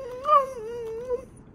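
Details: Maya, a female Siberian Husky, outdoors in a backyard, being asked to sit and scolded as sassy, gives one smooth, drawn-out wailing 'talk' of about a second. It swells early, holds level, then lifts briefly before fading.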